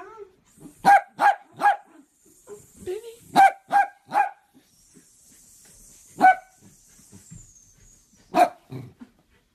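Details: Barking miniature dachshund during play: sets of three loud, ringing barks in quick rhythm, separated by gaps with small grunts, plus a faint high hiss in the background.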